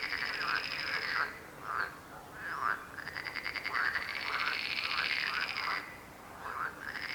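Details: Frogs croaking in a dense chorus: a steady high buzzing trill runs almost throughout, with repeated arching, nasal croaks rising and falling beneath it about every half second, and brief gaps where the trill drops out.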